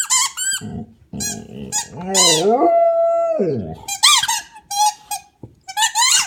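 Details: Pet Australian Shepherd howling while playing with his squeak toy: a drawn-out, wavering vocal tone that rises, holds level, then slides down. Sharp, high squeaks from the toy break in before and after.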